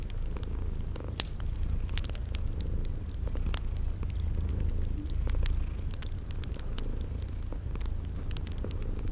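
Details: Low steady purring of sleeping kitties by a fireplace in spring garden ambience, a rumbling drone under frequent sharp crackles of fire and faint high cricket-like chirps at regular intervals.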